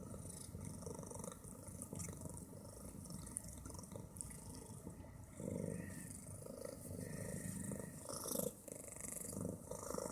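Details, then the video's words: A steady, throaty rumble comes from Bit, a fat female cat who snores and purrs very loudly. The grainy purring runs continuously for ten seconds, growing slightly louder midway, with a brief soft rustle near the end. "Fat cat - from snores to purrs"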